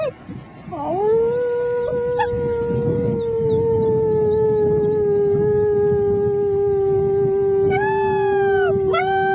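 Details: Six-week-old German Shepherd puppies howl along with a human friend, 'singing the blues': one long, steady, drawn-out howl with a strong clear tone and a slight waver, then short rising yips breaking in near the end.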